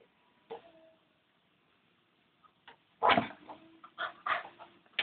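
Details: Newborn Labrador Retriever puppies from a litter of thirteen: short high squeaky whimpers and yelps, a few isolated at first, then a cluster of louder overlapping cries in the last two seconds.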